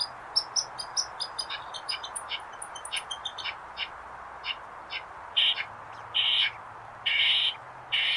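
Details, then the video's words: Eastern squirrel giving a quick run of sharp, high chips that thin out, followed by four drawn-out harsh, buzzy bursts spaced roughly a second apart. "Squirrel sound effects"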